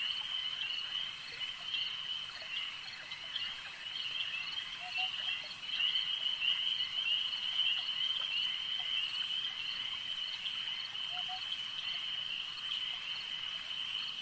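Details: Frogs calling at a lake: a dense, unbroken high trilling chorus runs throughout with a steady shimmer, and a few short low notes break through near five and eleven seconds.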